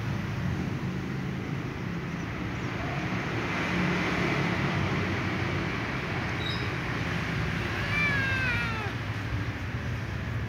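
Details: Little ginger female cat meowing after drinking water with her eyes closed, then scratching; a single wavering, harmonic-rich meow rises near the end, set against a constant low rumble like passing vehicles.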